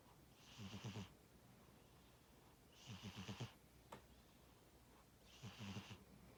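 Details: Tora the cat snoring in sleep: three rattling, hissing breaths at steady intervals of about two and a half seconds, the low fluttery buzz clear under a breathy top, one faint click between.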